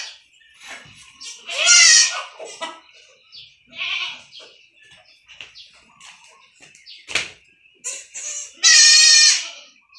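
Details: Goat kids bleating while receiving iron injections on a goat farm: two loud, quavering, harmonic bleats near the start and end, with softer shuffling, handling noises and faint voices between them.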